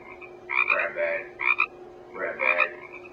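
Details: A male Pacific chorus frog, native to the US Pacific coast, gives its mate-attracting two-part 'ribbit', a bright, raspy croak repeated about once a second, which females use to track him down.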